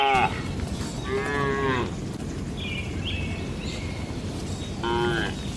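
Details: Cows in a village shed at night giving short harmonic moos, one at the start, one near the middle and another at the end, over a steady low rumbling background noise and faint higher squeaky sounds between calls.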